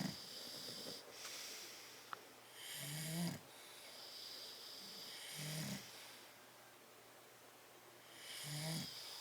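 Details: Bulldogs Tyson and Tyra asleep in their crate on 10/30/12, giving deep rattling snores roughly every two and a half seconds, each inhale harsh and buzzy with a hissing whistle above, softer airy breaths between.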